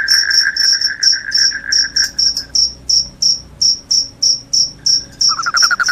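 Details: Loud cricket chirping, promoted as a rat repellent that also makes listeners sleepy: high, sharp pulses repeated about three times a second, with a lower continuous trill underneath for the first two seconds and rejoining near the end.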